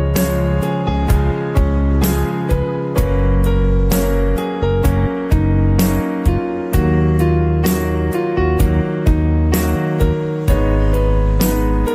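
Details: Steady keyboard and piano music with a regular beat and repeated chords; no animal sound.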